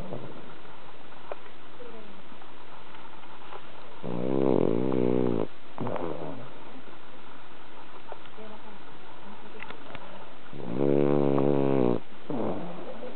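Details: Exhausted from a cherry-blossom outing, the cat Bronson sleeps and snores: two low, rattling snores about seven seconds apart, each around a second and a half, with softer breathing sounds between them.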